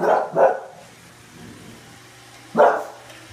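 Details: Bulldog barking during an encounter with a Roomba robot vacuum: two quick gruff barks in succession, a pause with a faint low machine hum, then a single louder bark.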